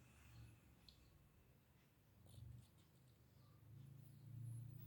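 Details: Domestic cat snoring while asleep, a deep, low, throaty rumble that throbs in quick pulses and swells louder in slow waves, especially toward the end; little else audible besides faint background hiss.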